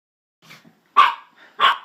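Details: Dachshunds named Sausage and Weenie, pet dogs egged on to "get the kitty" and fighting, give two sharp yapping barks about half a second apart after a faint soft yip.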